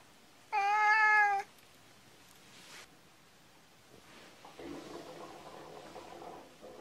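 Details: Brown cat lying down, licking itself and making eye contact, gives a single loud, steady, flat-pitched meow lasting about a second, followed by quiet with faint soft rustling and licking sounds.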